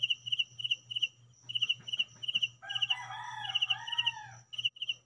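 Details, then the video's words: Cricket at home giving high, rapid pulsed chirps in short bursts while a rooster crows loudly partway through, over a faint low hum. "Real crickets sound at home"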